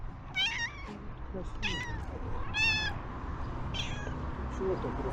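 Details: Hungry ginger street cat in Türkiye, a male, calling loudly for help to someone he has met before; bright, harmonic meows every second or so, some bending upward, over low background noise and a human voice.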